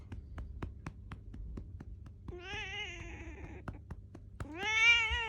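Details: Six-year-old female black domestic cat meowing in annoyance at its owner for patting its rump badly: two drawn-out, harmonic meows, the second louder and rising then falling, over a series of regular soft taps from the patting.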